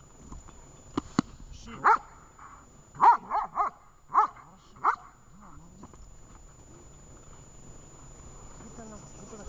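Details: Dog Vesta at training in Horlivka, 20 July 2019, gives a burst of six clipped barks, three in rapid succession, following two sharp clicks, then quiet background with faint voices.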